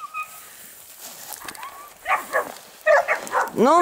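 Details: Dogue de Bordeaux dogs at an amateur breeding kennel, Les Dogues de Plaine, barking in loud, sharp bursts in the second half, ending in a rising whine, while a woman speaks Italian telling them to stop the racket.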